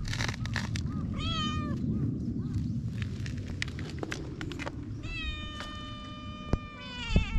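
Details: Feral cats on a cat island, recorded outdoors with a GoPro HERO8: several clear, wavering meows, a short one early and a long sustained one after five seconds, over steady low rumbling background noise and clicks.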